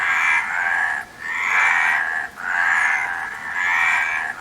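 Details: Four long, raspy frog croaks, each lasting about a second, follow one another with brief gaps, giving a loud, even, buzzing pattern.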